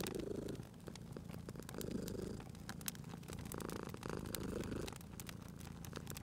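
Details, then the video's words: Sleeping cat's low purr by a crackling fireplace, rising and easing in short breath-paced waves roughly every second and a half, with scattered snapping fire crackles over it. "Cute Purring Cat at a Crackling Fireplace"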